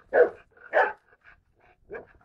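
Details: Male Neapolitan Mastiff barking: two deep, loud barks in quick succession near the start, then a softer third bark after a pause of about a second, with a quiet background.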